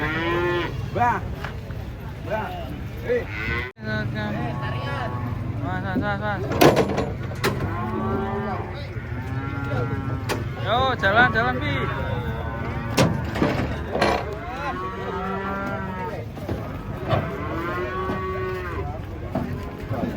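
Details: Giant, fierce cattle coming down off a truck; repeated drawn-out moos from several animals across the recording, interrupted by sharp metallic bangs and knocks, with faint human voices in the background.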